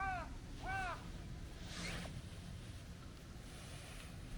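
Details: Chubby tabby cat, described as a stray with a young, kitten-like voice, gives two short arched meows in quick succession in the first second, then only a low outdoor rumble.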